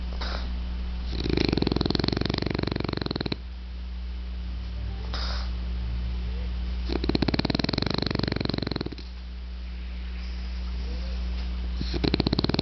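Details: A sleeping French Bulldog snores in slow, rasping bursts, each lasting about two seconds with quiet pauses between.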